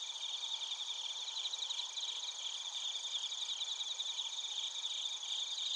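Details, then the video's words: Crickets and bell crickets chirping in Narita, Chiba, Japan; a dense high insect chorus of steady ringing bands with pulsed trilling, several callers overlapping, no other sounds. "スズムシとコオロギの鳴き声 - Chirping of crickets"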